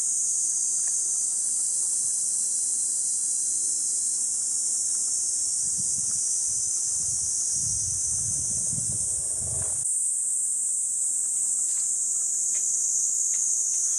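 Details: Cicadas call at Gifu Prefectural Hyakunen Park, Japan, along a forest walking path on a hot summer morning of 37°C, 23 July 2026. A steady, high, hissing drone runs unbroken throughout, over soft low rustling that fades partway through.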